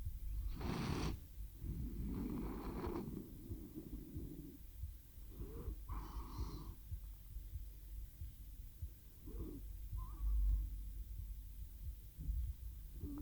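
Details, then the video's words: Cat named Theo drifting off to sleep beside a RODE NTG-3 microphone and ZOOM H6 recorder; soft low purring in short breathy bursts, fading into quiet, sleepy breathing. "Кот мурлычет на микрофон и засыпает/The cat purrs on the microphone and falls asleep"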